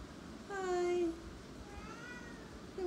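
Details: A domestic cat gives one drawn-out, level meow with rich harmonics lasting about half a second, then a fainter, shorter meow follows, indoors with a quiet background.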